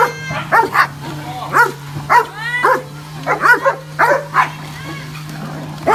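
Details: Dogs at play on grass near a water pool after watching a rabbit hop about; short yipping barks come in uneven bursts, roughly every half second to a second, with people chatting over them and a steady low hum.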